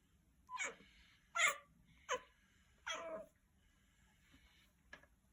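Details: Pet cat, found as a kitten in a storehouse and now grown, indoors giving its strange, dog-like call: four short, harsh, nasal cries in about three seconds, then a faint softer one and a click.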